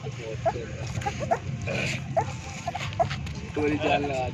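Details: Stray puppies about 25 days old nursing from their street mother dog, giving short high squeaks roughly once a second, mixed with men's voices and outdoor background noise.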